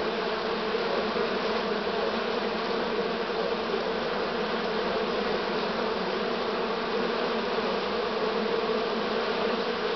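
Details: Honey bee swarm of this year recorded on 6 September 2019 in Romania, late in the season: a dense, steady hum of many bees with bright bands around the low-middle pitches, unbroken throughout.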